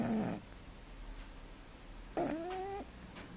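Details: Snoring from a sleeping male cat: one brief low rasp, then a longer breath carrying a thin rising whistle before it cuts off.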